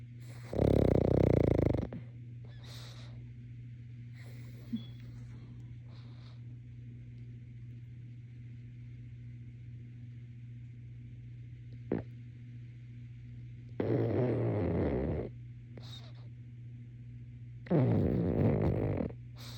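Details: A sleeping pug snores in loud, rasping bursts separated by quiet breathing.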